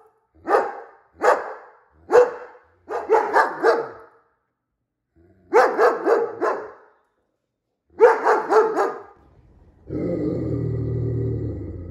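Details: A reactive German Shepherd that used to lunge and bark at passers-by and leashed dogs: sharp barks, some in quick doubles and triples, in bursts separated by pauses, followed at the end by a steady low engine-like rumble.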